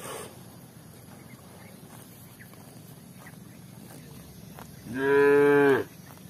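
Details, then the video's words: A cow grazing in the fields gives one short, loud moo about five seconds in, lasting under a second, deep and rich with a slight upward bend. Quiet rustling fills the seconds before it. "Sound cows"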